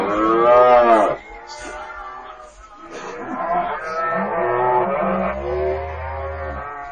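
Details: Cattle mooing, a strong low harmonic call in the first second, then a softer, longer drawn-out lowing with a wavering tone and a deep rumble underneath.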